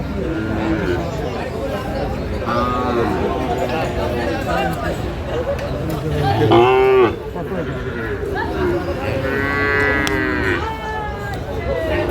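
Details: Sahiwal bull at a cattle market in Natore, Bangladesh, on 2 February 2025, during bargaining: several drawn-out, harmonic moos rise and fall, the loudest around the middle, over steady crowd chatter and background music.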